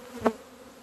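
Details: One honey bee zips close past the hives on a sunny 17 February 2020 in Romania, when the colony first left the hive after two months; a brief, loud, rich buzz swells and fades over a faint background hum.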